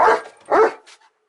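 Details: German Shepherd named Odin giving two loud, rough barks about half a second apart, the second followed by a softer trailing yelp, with silence around them.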